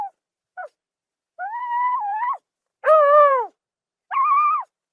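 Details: Zebra calls from the savanna: two brief clipped notes, then three drawn-out harmonic cries, the middle one louder and arching downward, separated by short silences.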